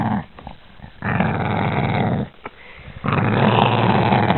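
A Boston Terrier gives low, rumbling growls in long sustained bursts, angry at being touched.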